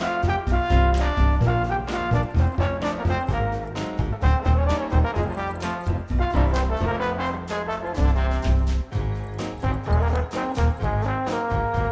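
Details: Brassy jazz with trombone and trumpet lines fills the whole stretch, and no buzzing or animal sound is present.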